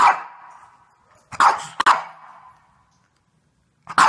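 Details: Shih Tzu dog barking: a long drawn-out bark at the start, then a quick pair of sharp barks, a pause of over a second, and one final bark, with near silence between them.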